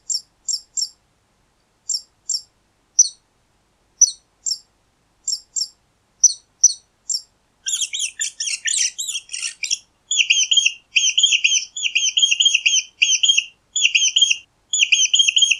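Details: High squeaks from a mouse: first isolated short chirps in pairs and threes, then a harsh tumbling volley, followed by regular bursts of rapid, ringing squeak notes; clean background.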